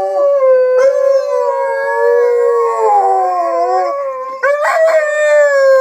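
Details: Siren-triggered howling by the dogs Luna and Hudson: continuous overlapping tonal howls, wavering gently in pitch, sustained almost without break, with a louder surge near the end.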